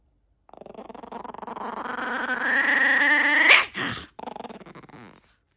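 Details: Dog growling in a long rising grumble with dense pulsed texture, building in loudness for about three seconds, then a brief strained yelp, a short pause and a fading throaty rumble.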